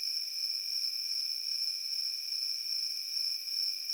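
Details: A dense, steady insect drone of crickets in open field: a bright high note and a weaker lower one sustained without pause, slightly wavering in volume.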